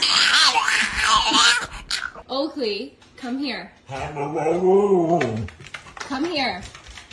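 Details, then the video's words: A dog making odd, wavering moaning vocalisations indoors: short bending whines, then a longer, lower drawn-out moan, and a final brief whine, following a noisy, speech-like opening. "weird dog sounds"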